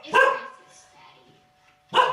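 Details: Female Chow Chow guarding her house, barking indoors at doorbells heard on TV: two loud, harsh, single barks about 1.8 seconds apart, with faint television sound in between.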